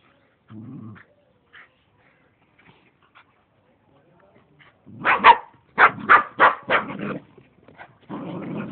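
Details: Two dogs playing wildly in a grandparents' garden: a short low growl near the start, a few faint sounds, then a quick run of sharp, rough barks about five per second, ending in a raspy growling bark.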